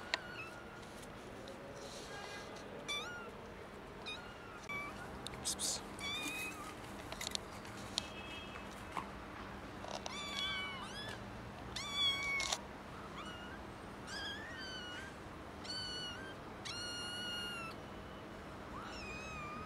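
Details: Three young kittens found in a garden, meowing loudly outdoors: a long series of high, harmonic meows, some rising then falling, coming in quick clusters with brief gaps, several voices overlapping, over faint background noise and clicks.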